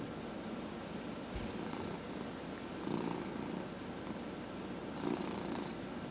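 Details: A cat being massaged purrs in a continuous low rumble, with breathy hissing inhales roughly every two seconds, three breaths in all.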